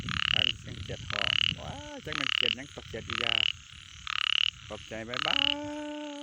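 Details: At night, a frog gives harsh, buzzy croaks about once a second, with faint music beneath; Thai speaker filming frog and small-frog calls late at night.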